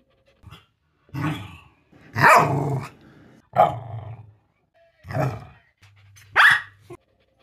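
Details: Pet Corgi dog giving a string of short, rough, harmonic barks and grumbling yelps in separate bursts near 1, 2, 3.5, 5 and 6.5 seconds, with brief silences between and a low steady hum in one gap.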